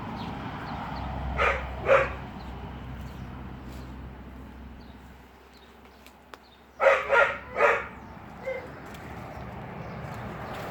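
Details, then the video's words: Dog crying, giving two short yelping bursts early, then a tight cluster of three harsher yelps after a quiet pause and one fainter cry, over steady low background rumble. "Dog crying"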